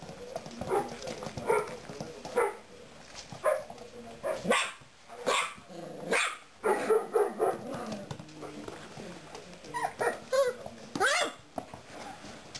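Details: Bernese Mountain Dog puppies, four and a half weeks old, at a kennel: bursts of short, high yaps and barks, several overlapping, with faint voices behind.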